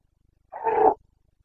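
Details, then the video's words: A Carpathian stag roaring in the rut, the boncănit of the Bucovina forests, 29 September 2022: one short, rough, full-throated bellow lasting about half a second, against a quiet background. "Boncănit / Carpathian stag Breeding season 29.09.2022"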